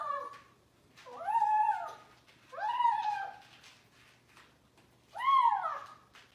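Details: Young cat vocalizing as it eats, giving four drawn-out, bowed whining calls with rich overtones, each lasting about a second and separated by short quiet gaps.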